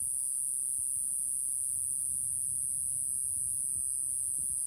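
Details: Iwasaki grass cicada (Mogannia minuta), a tiny cicada about 1.5 cm long, sings in early summer in Okinawa while perched on a finger, a thin, very high, unbroken buzz that holds steady throughout.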